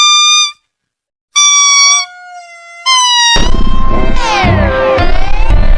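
A lemur gives three loud, wailing tonal calls, each slightly falling, before a harsh, noisy wash with music-like sliding tones takes over.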